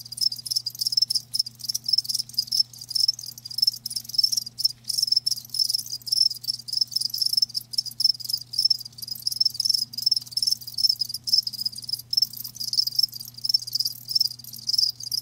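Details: High, rapid pulsed chirping from live crickets fills the recording, bursts following each other closely in a dense chorus, with a low electrical-sounding hum underneath.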